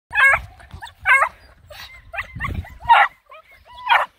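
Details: Nine Black and Tan Coonhound puppies on a hike around a pond give loud, harmonic, yelping barks about once a second, with softer whines and yips between them.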